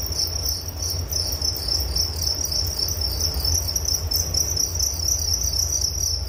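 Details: Continuous shrill chirping of crickets, a dense high ringing trill with faint pulsing, over a low background rumble.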